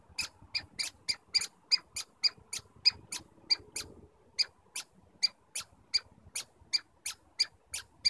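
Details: Stanley Park squirrels communicating: clear, loud high squeaks repeated at a brisk even pace, about two a second, each note sharp with ringing overtones; background quiet.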